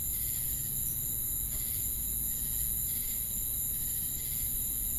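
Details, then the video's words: Crickets chirping with cicadas: relentless shrill high hiss and ringing tones, soft rhythmic chirp pulses about once a second, and a heavy low-frequency rumble throughout. "Crickets & Cicadas Chirping Sounds"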